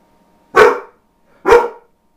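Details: Two loud, abrupt barks from a dog that seldom barks, about a second apart, each a short harsh burst, in an otherwise quiet indoor room.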